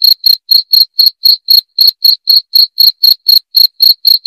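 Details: Cricket chirping in a loud, clear recording meant for repelling rats: short, high-pitched pulses repeated about four times per second in a steady, even rhythm with a faint, thinner upper tone; no other sounds.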